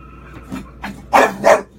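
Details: Four-year-old female English Bulldog indoors, barking at a television showing the horror film Crimson Peak to warn a little girl on screen of danger; two loud, rough barks in quick succession after a few faint sounds.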